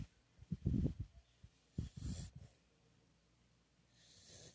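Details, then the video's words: Pit bull dog snoring: two rough, low rumbling breaths, each under a second and made of rapid fluttering pulses, about a second apart, followed by quiet with a faint hiss at the end. "cachorro roncando"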